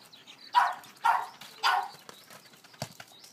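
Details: Boston Terrier named Rose, wildly excited at the sight of a ball while playing with it, gives three short loud barks about half a second apart, then quiet scuffling and a faint tap.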